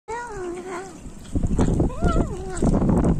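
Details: Maine Coon cat eating raw chicken gives a wavering mid-pitched meow, then a second rising-and-falling meow about a second later, with chewing noises and a person's voice in the background.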